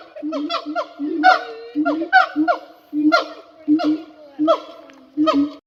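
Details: Siamang gibbon singing: a rapid series of loud, resonant whooping barks with rising and falling swoops, about eight bursts in six seconds, evenly spaced with short pauses between them.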